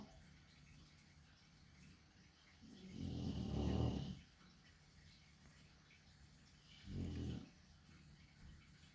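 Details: Heavy-set dog asleep snores with a deep, rough rumble lasting over a second, followed by a shorter softer snore a few seconds later, in quiet surroundings.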